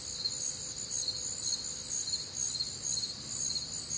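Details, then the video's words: Midwestern summer night, warm and humid, with crickets and other nocturnal insects: high-pitched rhythmic chirping in stacked layers, pulsing a little faster than twice per second, and a faint low tone early on. "Night Time Cricket Sounds"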